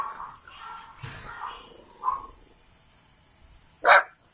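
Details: French Bulldog puppies born 21 and 23 June 2017: soft, brief yips, then one sharp, loud bark near the end, over a quiet indoor background with faint voices.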